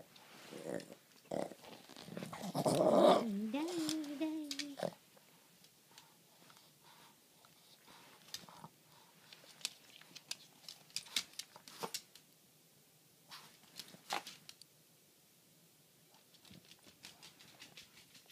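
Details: Boston Terrier playing with a cardboard box and a ball indoors: a few soft huffs, then a loud rough growl lasting about two seconds with a wavering pitch, followed by scratching, rustling cardboard and thumps of play.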